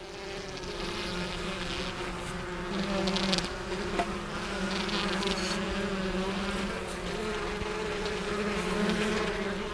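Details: Honey bees swarming around the hives as a beekeeper ends his first visit of the season, a continuous low drone with a bright overtone, swelling and easing in loudness, with brief scratchy knocks.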